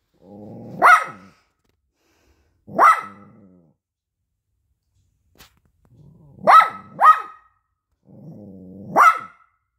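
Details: Young poodle protesting food given on paper barks sharply in spaced bursts, one quick double bark among them, some barks preceded by low growly rumbling.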